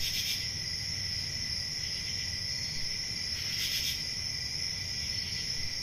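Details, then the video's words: Summer-night crickets in the countryside keep up an unbroken high-pitched ringing trill, joined by a fainter lower drone; two louder pulsing chirp bursts stand out, one at the opening and one near four seconds, with faint low background hum. "10 Hours Relaxing Cricket Sounds For Sleep"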